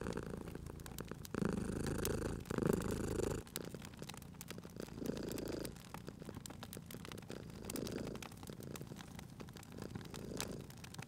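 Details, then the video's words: Pet cat purring at a cozy crackling fireplace, a loud throaty purr in the opening seconds easing into softer rumbling pulses separated by pauses, accompanied throughout by popping and crackling firewood. "Cute Purring Cat at a Crackling Fireplace"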